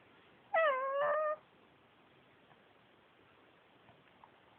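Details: Yuyu, a male Pekingese adopted from a shelter, talking indoors: one drawn-out whining vocalization under a second long, tonal and slightly wavering with bright overtones, then a quiet room and the start of another sound at the end.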